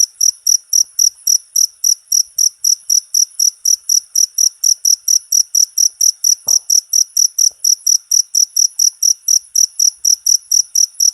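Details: Insistent high-pitched cricket chirps, recorded as tutor material for cage songbirds, pulsing about four times a second without a break; a soft knock is heard around the middle.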